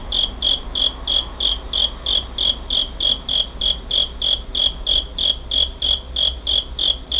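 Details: Cricket recorded on 27 August 2011 with a compact Pentax camera: steady high-pitched chirps repeated about three times per second in a regular pulsing rhythm, with a faint low hum underneath.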